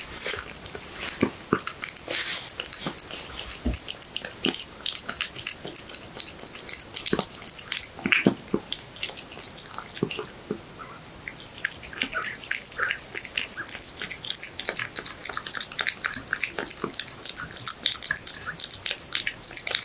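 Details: Cat eating horse meat in a close-up indoor recording; steady moist chewing, licking and smacking, with crisp bite clicks and a brief quieter pause midway.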